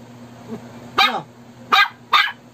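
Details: Shih Tzu barking in reaction to a snoring prank, with a faint soft whimper first, then three loud clipped barks at uneven intervals, against a steady background hum.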